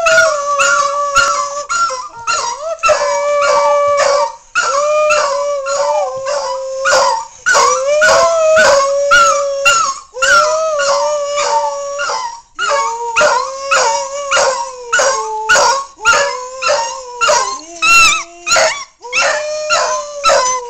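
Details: A dog howls in long, wavering, tuneful notes that rise and fall, as if singing, recorded in 2008.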